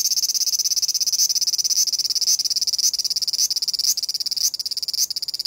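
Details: A large brown cicada (aburazemi) gives a steady, sizzling high buzz like oil frying, pulsing rapidly; the sustained buzz is given while still, stuttering buzzes while moving; high notes distort.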